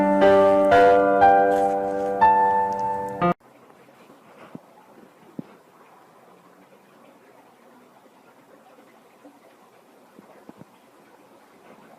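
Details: A short piano phrase plays for about three seconds, then gives way to quiet room tone with a few soft clicks.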